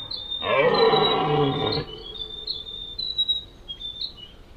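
A deer gives one loud, hoarse, drawn-out call lasting over a second, with thin chirps behind it.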